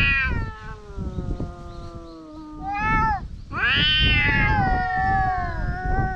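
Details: Stray cats on the verge of a fight: a sustained, slowly falling wail answered by a louder, rising and wavering caterwaul, with rumbling low noise throughout.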